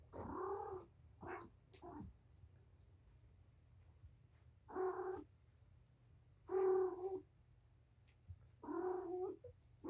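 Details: Patience, a mother cat surrendered to Purrfect Pals, plays indoors with her five kittens on 7-25; short harmonic meows come in clusters, a quick pair early, then single drawn-out mews roughly every two seconds.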